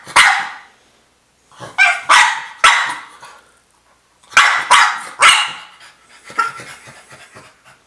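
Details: Pet French Bulldog, female, demanding her toy: bursts of two to three loud, harsh barks with pauses between, ending in softer grumbling vocal noises.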